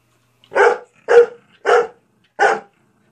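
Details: Dog named Ida barking loudly in the face of another dog, Izzy, wanting her to play: four sharp, broadband barks spaced about half a second apart, evenly loud, with quiet gaps between.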